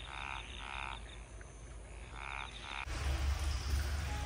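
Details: Frogs calling at night among the rice terraces around a hot-spring inn in Yufuin, Oita, Kyushu, Japan: two bursts of rapid, rattling croaks, each lasting about half a second, separated by a pause, then giving way abruptly to low rumbling noise.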